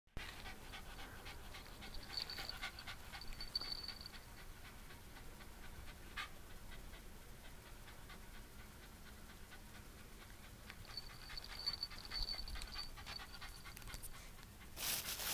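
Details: Shiba Inu named Narihira at home in Shizuoka, Japan, visited by a pet sitter on 18 June 2017; soft, rapid rhythmic panting runs through the recording, with faint indoor background noise and a brief louder burst at the end.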